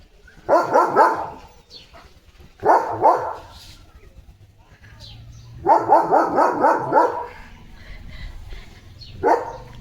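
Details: With a water mug clamped in his mouth, Leo the German Shepherd lets out four muffled bark bursts. The longer bursts are rapid, stuttering clusters, spaced a few seconds apart, with quiet indoor sounds between them.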